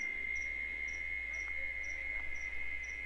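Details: Cicadas sing in the Caatinga sertão of Bahia, Brazil, in late afternoon: a steady, shrill, unbroken mating song, with faint high ticks repeating behind it.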